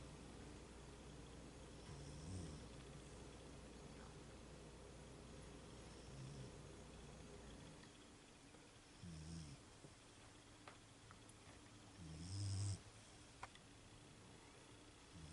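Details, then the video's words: Sleeping female Beagle giving low, throaty snores roughly every three seconds, each a short rumbling breath, the last one louder and rougher, with faint background hum. "My Beagle Snoring"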